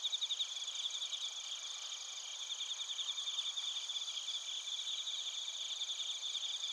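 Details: Crickets including suzumushi singing together in Narita, Chiba Prefecture, Japan: layered high-pitched trilling and rapid pulsed chirps forming an unbroken shimmering chorus, a louder burst of pulses at the very start.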